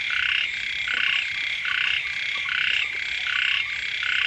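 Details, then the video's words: Several frogs calling right beside a house in the first rains; grating, pulsed croaks overlap in an unbroken chorus, bursts arriving about seventy-five times a minute. "เสียง กบ เขียด ร้อง อยู่แคมบ้าน"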